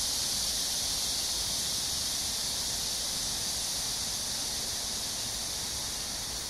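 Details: Cicadas in a summer chorus at Amsa Ecological Park on the Han Riverside, Seoul, South Korea, early evening of July 26, 2021, during a heat wave: a dense, unbroken high hissing buzz that holds steady throughout.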